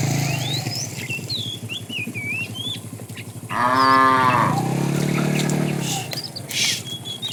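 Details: A herd of tame cows heads off on a long walk to fresh pasture; one drawn-out, rising then falling low moo fills the middle of the recording, with a deeper lowing after it and birds chirping throughout.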